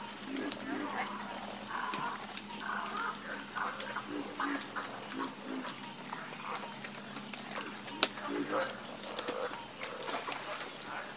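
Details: Harmonious frog croaking at night, many soft repeated croaks running close together under a continuous high-pitched insect hum, with a single sharp click near the end.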